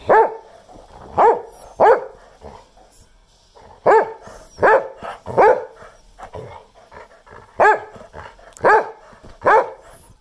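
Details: An 11.5-year-old English Springer Spaniel barks sharply in loud, repeated bursts, often in quick pairs.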